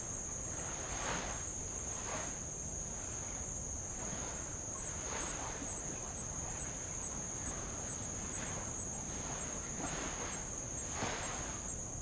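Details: Tongan insects at Avalau island in the Kingdom of Tonga, recorded along old lava shoreline: an unbroken shrill, high continuous buzz sits over repeated gentle wave washes arriving every second or two.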